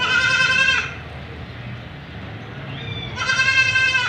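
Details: White Persian kitten being showered in Gujranwala gives two loud, drawn-out harmonic meows, one at the start and one near the end, separated by a stretch of steady hissing water.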